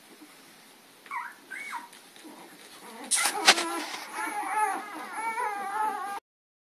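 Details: Puppies chasing an adult dog named Lady, April 4, 2013, giving high, wavering whimpers and yips that grow into a run of quavering whines, with a burst of rustling and scuffling in the middle.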